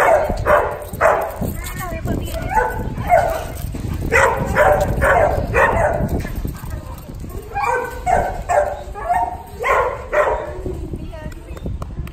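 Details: Puppy giving a long run of sharp, mid-pitched barks, about two per second and unevenly spaced, with some voice-like sounds possibly mixed in among them.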